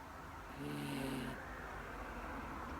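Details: Female Miniature Dachshund falling asleep, one low droning snore lasting under a second, with a faint higher hiss over it, then quiet steady breathing noise.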